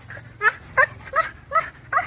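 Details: Talking dog at home producing five short, vowel-like yips and whines at roughly evenly spaced intervals of about a third of a second, each with a quick pitch bend, sounding like chattering speech.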